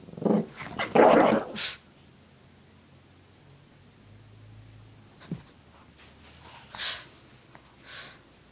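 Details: Shih Tzu named Lacey playing with her pink puppy blanket and shaking her head back and forth: a fierce, rough growling burst in the first two seconds, then quiet with a few soft scuffles.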